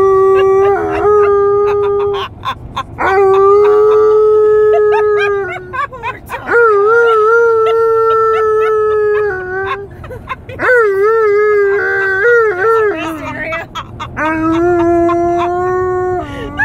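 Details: Malamute howling during a car road trip, about 30 minutes into the drive: a series of long, sustained harmonic howls roughly every three to four seconds, some wavering and rising, broken by short yips, over faint road rumble.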